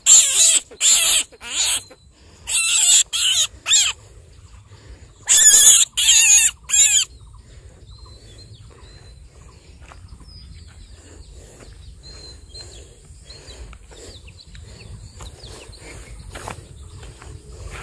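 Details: Baby rabbit screaming in fear for its life after being caught: about nine shrill, harsh bursts in quick clusters over the first seven seconds, then quiet with faint rustling and soft handling noises.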